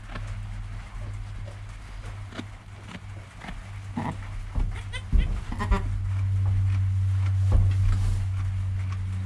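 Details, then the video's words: Newborn goat kid named Joel, within an hour of birth beside his calm mother Penny, filmed on a GoPro; a short run of wavering bleats rises over a steady low hum around the middle. "Baby Goat - One Hour Sound and Video"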